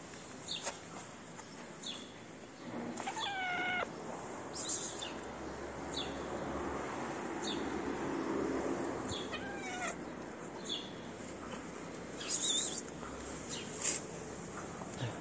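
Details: Stray cat in a Moroccan city begging for food, one clear wavering meow early on and a shorter one later, amid steady background hiss and a person speaking.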